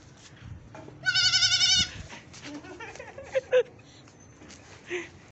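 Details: Baby goat giving one drawn-out, quavering bleat of nearly a second, followed by scattered clicks, shuffling and faint background noise.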